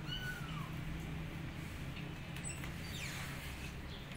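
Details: Mother cat with her fluffy kittens outdoors on a lawn on a bright sunny day, showing them how to climb stairs; one short, falling meow early on, then faint high chirps over a steady low hum.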